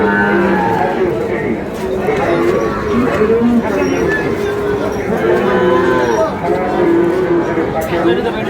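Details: Sahiwal bull calves bought on 16 August by a farmer from Noakhali, amid a busy livestock trade; drawn-out low lowing moos rise and fall through constant bargaining talk and crowd chatter.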